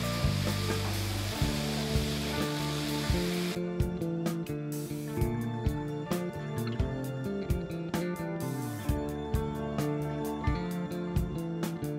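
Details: Hissing, rushing noise over low music, then a steady rhythmic instrumental track with regular beats; no animal voices are heard.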